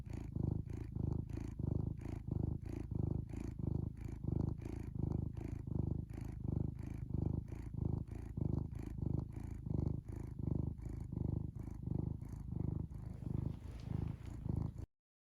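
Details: Pet cat giving a deep, continuous purr: low rumbling pulses in a steady rhythm that alternates softer and louder phases with breathing, ending abruptly near fifteen seconds.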